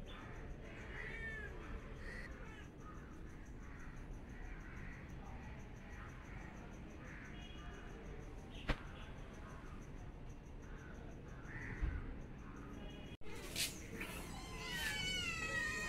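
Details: A cat meowing: faint harmonic calls early on over steady background hum, then, after a sharp click and brief dropout near the end, louder rising and falling mewing cries stacked with bright overtones.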